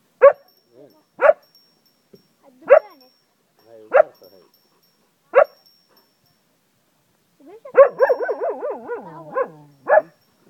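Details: Cocker Spaniel dog in Ajloun, Jordan, howling like a wolf: five sharp single barks spaced about a second apart, then a wavering, yodelling howl with rapid pitch wobbles lasting two seconds, ending in another bark.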